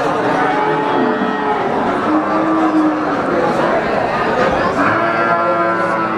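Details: Moos from Brahman breeding cows in the busy Sumberlawang cattle market, Sragen, 2018. Drawn-out, wavering lowing calls overlap, some sliding upward, buried among steady crowd murmur and voices.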